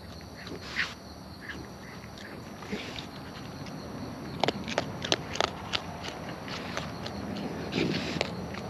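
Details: Wild raccoons feeding close up, their chewing heard as irregular sharp crunchy clicks and wet smacks, clustered in the middle and end, over a soft steady outdoor background hiss.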